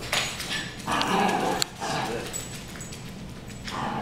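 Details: Dogs Harry and Ferris in a brawl, giving quick rough barks and whimpery yelps in overlapping bursts, with a human voice faintly in the background.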